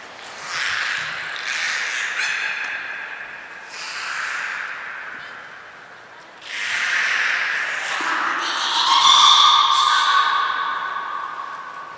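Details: Beluga named Gray at Port of Nagoya Public Aquarium on 3 February 2023 during a move between pools; a series of squawking, buzzy pulsed calls comes in bursts, ending with a clearer tonal whistle.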